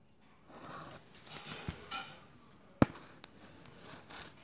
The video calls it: Clicking Click Beetle